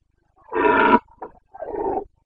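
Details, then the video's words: Rutting Carpathian stag, a red deer, roaring (boncănit) in Bucovina's mountains during the breeding season, 29 September 2022: one loud, rich bellow, a faint grunt, then a softer, lower roar. "Boncănit / Carpathian stag Breeding season"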